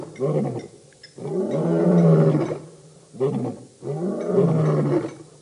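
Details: Birmingham Boys lions roar at the dam, Djuma Game Reserve in the Sabi Sand by Kruger Park, South Africa, 11–12 August 2016; low, throaty roars in bursts about every two seconds, each rising then sagging, with brief quiet gaps.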